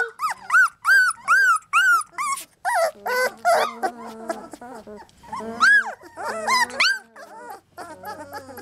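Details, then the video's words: Three-week-old Lab puppies trying to climb out of their box, giving rapid, repeated high yelping whines with rising-falling arches, several per second at first, then more scattered squeaks and lower grumbles. "Puppy Cacophony"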